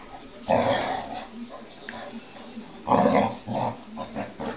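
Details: Two dogs at play, a Bearcoat Shar-Pei named Sophie pestering a Tibetan Mastiff named Flynn: two rough, throaty growling bursts with a softer rumble between and faint human voices.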